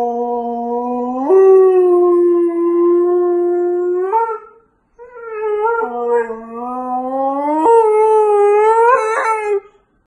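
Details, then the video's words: A male Siberian Husky howls in response to a siren, in long, steady, tuneful notes that step up in pitch partway through. "Siberian Husky howling."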